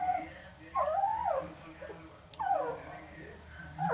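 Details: An 11-day-old male Northern Inuit puppy, one of three littermates, makes a few short bending whimpers, rising and dipping, about one each second, in a quiet indoor room.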